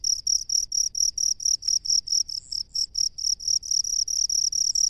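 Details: A cricket that lives among rice paddies gives short, bright, high-pitched chirps, about two per second, each a buzzy burst with a sharp edge, over quiet low background hum.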